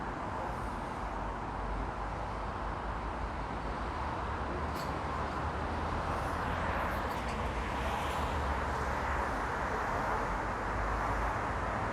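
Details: Steady outdoor urban traffic roar with passing vehicles fills the recording, without any audible animal calls.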